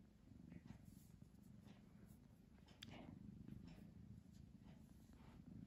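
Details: Low, even purring from Pamuk, a domestic cat caught between napping and playing, pulsing with each breath, plus a sharp tick near the middle and light rustling.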